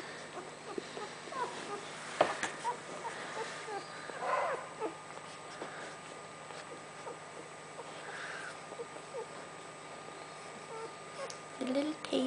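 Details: Newborn puppies nursing on their mother Casey make soft, scattered high squeaks and short whimpers, spaced irregularly over quiet shuffling and suckling noises, with a steady low hum underneath and a brief louder squeal near the end.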